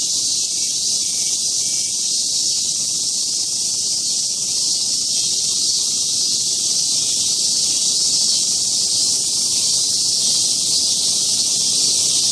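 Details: Steady cicada chorus on Mount Atago: an intense high-pitched sizzling whine with a faint rapid pulsing beneath. It runs without a break throughout, and nothing else is clearly audible.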